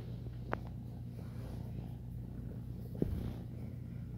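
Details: A formerly feral foster kitten about three to four months old, purring while kneading; a steady low rumbling purr throughout, with two brief sharp clicks and faint indoor background.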